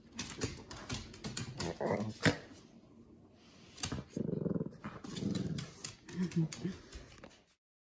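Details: Indoors with his mouse toy, Winnie the Shih Tzu/Pekingese growls in three low rumbling bursts in the second half, after a stretch of clicks and rustling from play; a brief human word is heard early.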